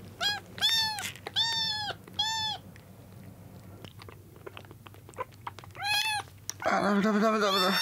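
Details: Meowing from rescued kittens on day two after being saved soaked from a road, jostling over milk: clear arched meows in a quick run of four, a pause with soft clicks and suckling noises, then more meows and a broader, strained cry.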